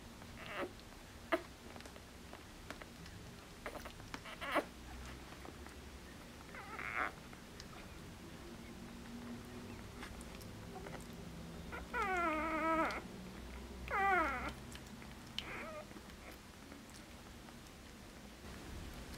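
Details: Border Collie puppies only four days old, litter born 29 August 2014: thin squeaks, then two louder high, quavering whines close together near the end, over rustling and faint low hum.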